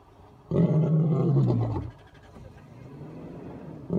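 A lion gives a deep, rumbling roar that holds steady, then fades into a low grumble.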